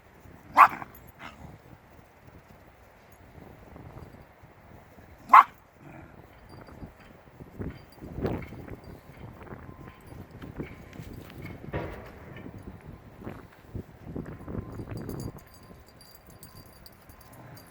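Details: Shiba Inu puppies, five weeks old and born 25 February 2020, playing outdoors alongside adult Shibas; two sharp, high yips ring out several seconds apart over soft scuffling and rustling from the romping litter.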